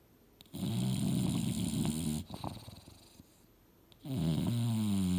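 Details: Dreaming on the couch, Mildred the English Bulldog snores twice: a deep, throaty rattle lasting nearly two seconds, a soft wheezy lull, then another low, grinding snore starting up.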